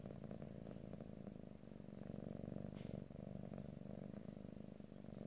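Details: A house cat purrs steadily right at the microphone, recorded ear to ear in stereo without speech; dense low vibrating drone, slightly pulsing, with a faint rustle midway.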